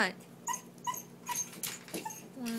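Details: A Lhasa Apso begs to come out, giving brief high whimpers about every half second while a person talks to it in a small indoor room.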